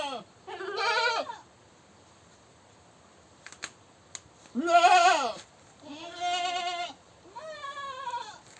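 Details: Goat scream series: five wavering, nasal bleats of varying length, some overlapping closely, with a few sharp clicks or knocks between the second and third cries.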